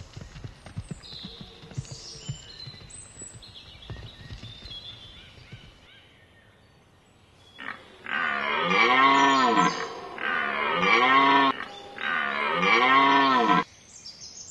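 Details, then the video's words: Red deer (Cervus elaphus) in rut, Hoge Veluwe National Park, Netherlands, 19 September 2010: after quiet with faint bird whistles, three loud, harsh, drawn-out roars, each about one and a half seconds, follow one another closely. "edelhert Bronst Cervus elaphus"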